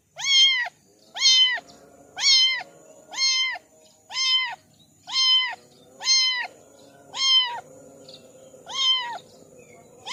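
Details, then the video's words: Loud, clear kitten meows, each a short flat-topped cry with bright overtones, repeated about every second; a kitten from a litter of four. "Kitten sound test"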